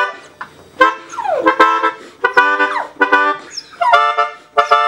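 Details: A female dog howls along to reggae music, her voice rising and falling in drawn-out sliding wails that swoop downward several times. The song plays loudly throughout with steady beats and bright instruments.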